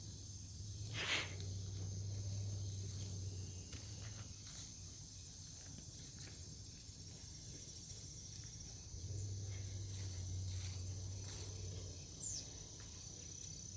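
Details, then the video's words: Cicadas in a Nebraska forest near a farm at night, Omaha, 08 03 2021: piercing high buzz pulsing in repeated waves of one to two seconds, a single sharp click early on, and a faint low rumble underneath. "Forest near the farm at night, cicadas"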